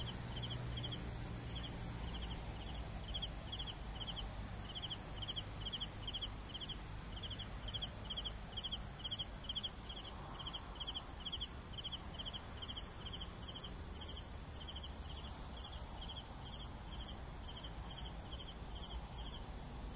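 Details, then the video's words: Cricket chirps come in rapid pulsed bursts, evenly spaced for the whole stretch, against a steady piercing high trill that never stops and a faint low hum. "CRICKETS SOUNDS"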